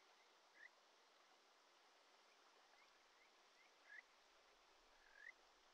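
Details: Kajika frog (Buergeria buergeri) singing at a mountain stream in the Shinetsu region, Japan, in early July: short, sweet, upward-sliding whistles over the steady rush of the stream.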